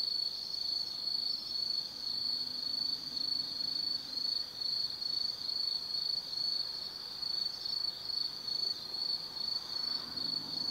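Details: Autumn insects singing at night in Tsukimi no Mori forest, Kaizu, Gifu, Japan, beside a lookout 180 m above the Nobi Plain; a steady high pulsing trill, rapid chirps repeating continuously with slight swells, faint low hum beneath.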